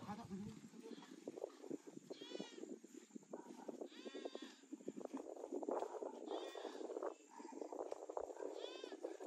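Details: Pigs that roamed freely in a forest, caught for sale to traders; short arched squeals break out every couple of seconds over steady scuffling, trampling and voices.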